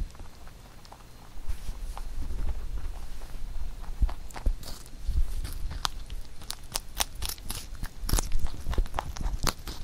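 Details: Pet rabbit Huchu chewing a carrot songpyeon prepared for Chuseok; quiet nibbling builds into a run of loud crisp crunches in the second half.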